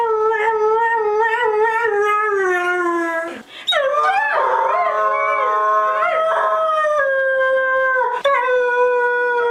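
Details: Howling dogs: a long, level howl that slowly sinks, a brief break, then several voices overlap in wavering, rising-and-falling howls before one steady tone carries on.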